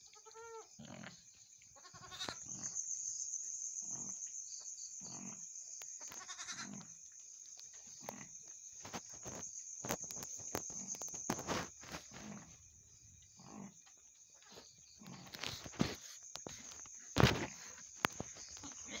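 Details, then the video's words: Mother goat just after giving birth to two kids: a few short, harmonic bleats near the start, then soft low grunts and scattered thumps and rustling, over a steady high electrical whine. "induk kambing melahirkan 2 ekor anak kambing. hal ini yg d lakukan induk kambing"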